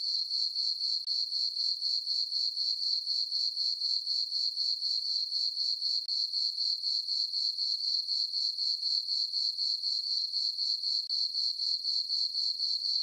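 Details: Summer night chorus of crickets in a moonlit meadow on a farm: bright, shrill chirps repeating regularly at roughly four a second, unbroken throughout, nothing else audible.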